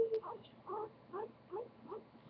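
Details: Goku, a pet guinea pig, utters a series of brief squeaky notes roughly every half second, slightly softer and rougher than a wheek, with faint room noise between calls.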